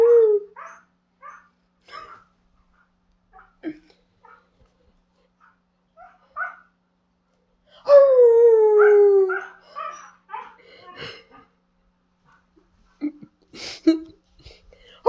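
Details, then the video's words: Pet Siberian Husky running through its range of funny sounds: short scattered yips and whines with gaps of silence, a drawn-out falling howl near the middle, then more clipped whimpering barks toward the end. "All of the funny sounds Freddy makes"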